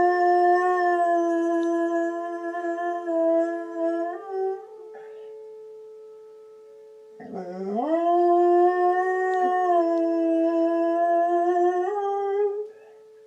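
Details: Dog howling along with tornado sirens. A drawn-out, even howl lasts about four seconds and fades. After a pause, a scooping howl rises into another long, level, wavering howl. A steady siren hum continues behind it.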